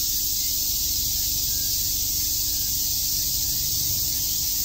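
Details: Cicadas chirp in a summer chorus at Shakujii Park, Tokyo, one unbroken high, hissing wall of sound over a quiet low hum.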